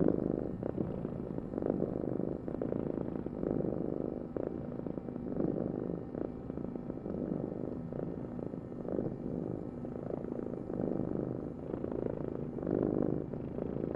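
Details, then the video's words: Steady, low rumbling purr from a cat, its texture pulsing unevenly as the cat breathes in and out across fourteen seconds. "Heal with the ultimate cat purring vibration"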